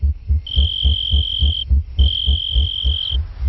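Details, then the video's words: A tree cricket sings in long, pure, steady trills, each held over a second with short pauses; it vibrates its wings against the edges of a hole in a leaf, which acts as a natural amplifier for communicating. "the tree Cricket builds a sound system from a leaf by vibrating its wings against the edges of the hole the leaf becomes a natural amplifier for communicating"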